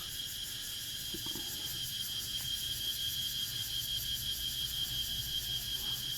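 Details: A dense chorus of many cicadas at dusk among many trees in front of a house in Mukdahan, Thailand: a steady, high-pitched shrill drone without pause.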